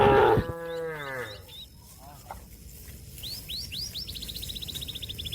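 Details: Cattle calling companions to return to their pen: a loud moo at the start that fades out within a second and a half, followed by bird chirps and a fast, evenly repeated high twittering series.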